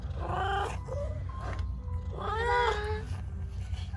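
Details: Cat giving two drawn-out nasal meows, the second longer and rising then falling, over a steady low hum with faint background music.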